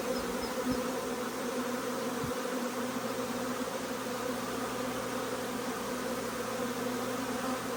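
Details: Large swarm of honey bees arriving as their queen, marked green and looking like a Carniolan, enters the box; an unbroken, thick droning buzz with steady low hum bands holds throughout.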